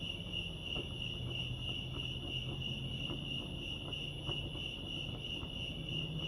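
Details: Lake Arrowhead, California crickets keep up an unbroken high, rapidly pulsing trill, with soft low hum and scattered faint ticks beneath.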